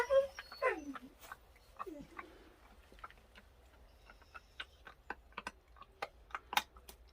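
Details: Jindo dogs checked on during a rainy day: two falling whines swoop downward, followed by scattered sharp clicks and taps.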